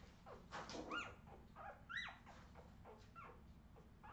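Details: Young Australian Terrier puppies, 2018, give thin whining squeaks about once a second, each a sharp upward-bending yelp that drops away, with softer cries between and a faint low background rumble.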